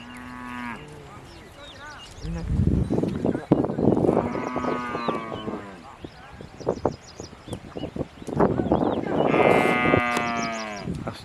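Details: Hallikar cattle, a herd driven by a farmer to a grazing yard in Harohalli Taluk, low sustained moos, a short one at the start and two longer drawn-out calls later, over men talking and shouting to the herd.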